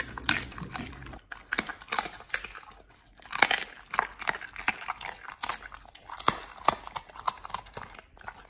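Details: Pit Bulls eating banana-leaf-wrapped barbecued royal honey bee larvae for the first time: wet chewing, crunching and biting sounds, irregular bursts of smacking and crinkling in a small indoor room.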